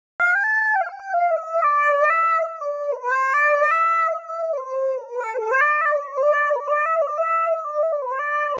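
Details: Siberian Husky howling, or singing, in a long continuous tonal wail that wavers up and down in pitch with rich harmonics, sustained for over eight seconds with brief dips and catches.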